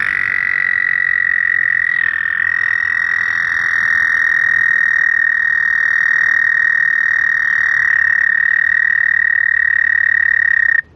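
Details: Male American toads at a vernal pool in Ohio, on a spring night after snowmelt, give their long, steady, high musical trill. This is the classic mating call to attract mates at their birthplace.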